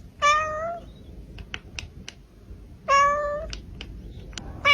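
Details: Domestic cat giving two loud, short meows about two and a half seconds apart, each a bright harmonic cry that bends slightly downward, with faint clicks and tapping between them.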